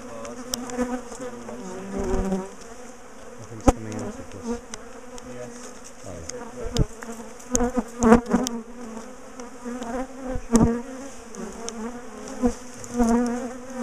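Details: Buzzing from a big bee colony in a top bar hive that has been chasing its owners, recorded while the colony is taken apart and moved; a continuous droning hum punctuated by repeated clicks, knocks and clattering.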